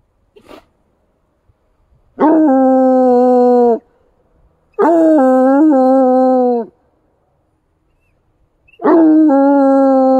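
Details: A Bluetick Coonhound in snowy woods gives long, steady howls, each held about two seconds with a slight waver, set off by signs of deer activity and deer tracks in the snow.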